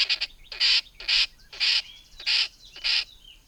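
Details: A tree squirrel gives harsh, buzzy rasps, about six in under four seconds, repeated roughly every half second; these calls can be mistaken for a kingfisher, specifically the brown-hooded kingfisher.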